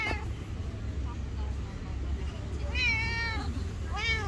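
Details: A black stray cat with thick fur, living on the street, gives a long wavering meow that rises then dips, followed by a shorter rising meow, over a steady low rumble of traffic.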